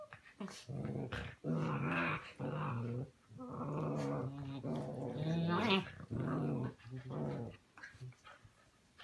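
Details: Puppies playing in the morning, growling in long, low, rumbling bouts of one to two seconds separated by brief pauses, with a few sharper, higher yelps mixed in.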